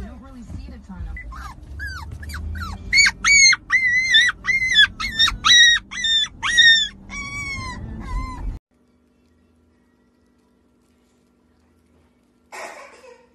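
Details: Siberian Husky at play with a baby, a rapid series of short high yelping whines, about two each second for eight seconds, then near silence and a brief noise at the end.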